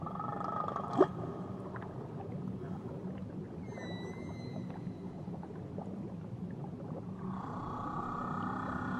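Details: Whale near Tahiti giving a brief run of faint, high, rising whistled sweeps at mid-clip, followed by a steadier tonal band toward the end, over a constant low rumble and one sharp click early on.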